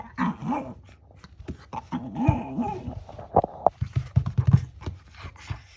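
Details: Shih Tzu dog making an unusual growling "gao" sound indoors: low, rumbling voiced bursts with wavering pitch around two seconds in, followed by short snorting and huffing pulses.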